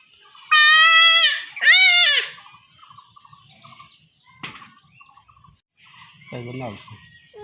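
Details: Two harsh, wavering bleats in quick succession from a young goat being castrated by villagers in rural Bengal, followed by quiet handling clicks and a low murmur.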